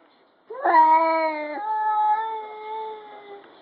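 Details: Pet cat Lu-san grumbling a low 'uu-uu' at a stray cat that came into the garden, just before pouncing on it: a sustained, tonal, rich moan held about three seconds, stepping up slightly in pitch midway, then slowly fading; no other clear sounds.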